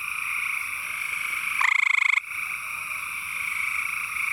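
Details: A male gray treefrog (Hyla versicolor) in East Texas gives a short, loud, pulsed musical trill over a steady high chorus, calling to attract a mate; each trill is one call segment.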